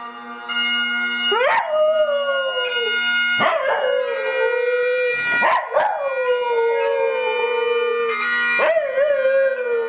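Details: Reiska, a Tibetan Terrier, sings with Scottish bagpipes: four drawn-out howls, each starting with a quick upward swoop and then sagging slowly lower, spaced about two seconds apart above a constant droning pipe tune.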